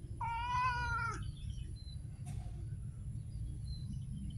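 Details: One street cat meow, about a second long and fairly level in pitch, followed by a brief knock and quiet low background rumble.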